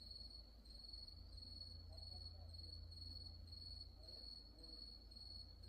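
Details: At Wonhyosa temple on Mudeungsan after dark, October 2024, insects keep up a thin high-pitched trill, pulsing in quick even beats, against a soft low background hum.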